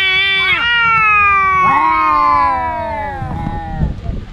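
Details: Two domestic cat brothers fighting, as they do daily: a long sliding yowl that steps down in pitch, then a second drawn-out wail falling away, ending in rustling scuffle noises.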